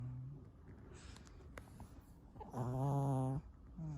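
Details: Pet Pomeranian, a young male likened to a little old man, snoring very loudly indoors: a long, harsh, buzzy, low rasp lasting almost a second, with a quieter breath snore before it and another starting at the end.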